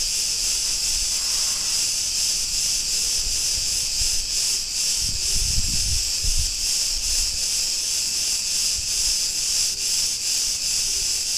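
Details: Street recording from Ierapetra, Crete, Greece: cicadas produce an unbroken sizzling buzz with rhythmic pulsing, while a low rumble swells briefly midway.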